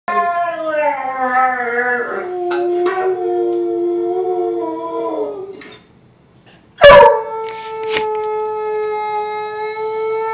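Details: Two-year-old American Foxhound in Kansas City, Missouri, howling along with a recording of beagles: long, wavering, tonal howls that slide downward, then a sharp click and one steady sustained howl note.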